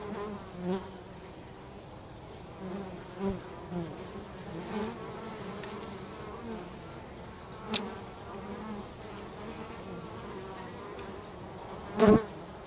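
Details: Working bees heard at home: a continuous low droning buzz layered from many insects, with several individual bees swooping close to the ear, the loudest one near the end.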